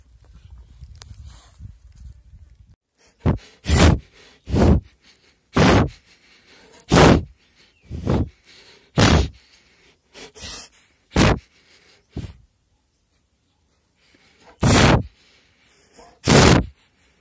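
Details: Rescued sloth bear at Wildlife SOS making powerful breathing sounds, used to suck up termites: a series of loud, broadband puffing breaths, one every second or so, with pauses between, after a soft low rustling at the start.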